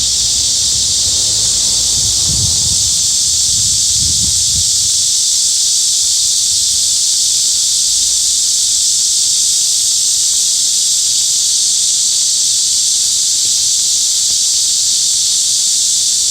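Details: Continuous loud, shrill cicada buzzing at an even level throughout, with brief low thuds near the start.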